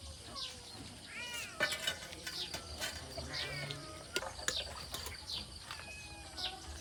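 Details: Repeated short, bending meows from a cat, some higher and thinner, over a steady background hiss with clicks, taps and occasional murmured voices.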